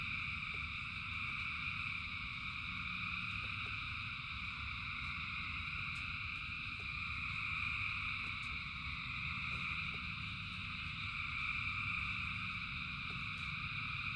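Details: Thousands of frogs singing in rain: a dense, unbroken chorus forming steady shrill bands at several pitches, over a low rumble of rainfall with scattered sharp drip clicks.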